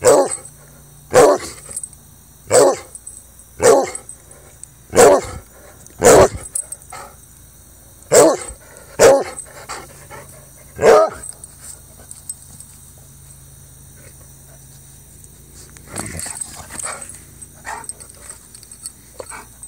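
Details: Playful baying from Jax, a Treeing Walker Coonhound nearly four years old: a run of short, sharp barks roughly once a second for eleven seconds, then quieter scattered noises.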